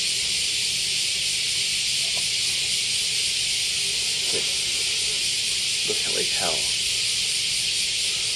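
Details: In the middle of cicada season in Japan, cicadas fill the air with a steady, high, hissing drone that never pauses.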